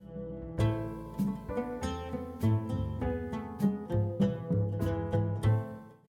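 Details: Plucked string music with a steady low bass line, notes repeating quickly and unevenly; no animal voice can be picked out.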